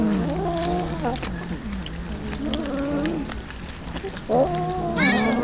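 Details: Hungry street cats being fed tuna; several drawn-out, wavering meows follow one another, one rising sharply near the end, over steady background noise and faint voices.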